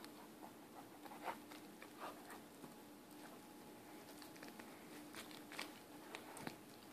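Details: A 4-month-old Weimaraner puppy gnaws a bone, making irregular crunching clicks and scrapes over a low steady hum.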